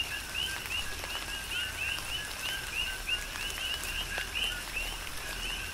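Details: Coqui frogs calling together in tropical rain on Hawaii's Big Island: quick paired notes, a dull lower tone leading into a clear upswept chirp, repeated several times a second across the chorus, with raindrops tapping around.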